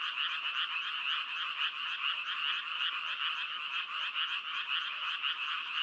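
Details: A short stretch of dense frog croaking forms a steady, raspy, pulsing chorus. Many voices overlap and there are no gaps.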